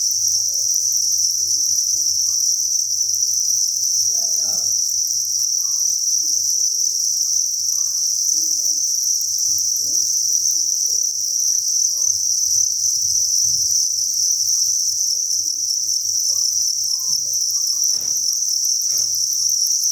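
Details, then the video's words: Thousands of crickets chirping inside a cricket breeding farm: a dense, unbroken high-pitched chorus of rapid pulsed trills, steady throughout, with faint low hum and scattered soft knocks underneath. "Cricket Chirping Sound"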